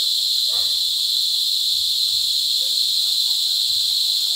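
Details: Cicadas mating and giving loud mating calls during cicada season at Sitio Bagumbayan, Brgy. Balabag, La Carlota City, Negros Occidental, on July 18, 2020. A steady, piercing high buzz drones without a break, with faint low rustles beneath.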